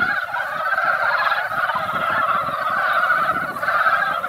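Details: Mountain frog chorus at a once-quiet valley pond, the frogs emerging after a light rain to gather and lay eggs. Many overlapping throaty croaks form a steady, bubbling wall of sound, with a faint low rumble beneath.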